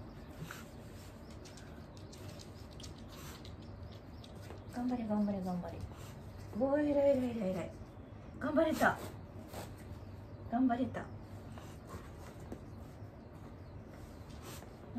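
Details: Wanta, an elderly dog in home care who vocalizes whenever awake, gives four drawn-out, falling, tonal moans, each one to two seconds long and spaced roughly two seconds apart, over a low steady indoor hum.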